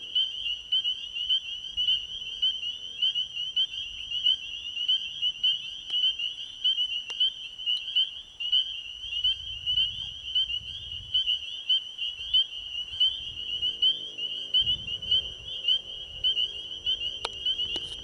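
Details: Spring peepers in full chorus at an ecovillage pond after dark: an unbroken wall of high, shrill peeps, roughly a hundred loud notes a minute standing out, with a soft low hum entering toward the end.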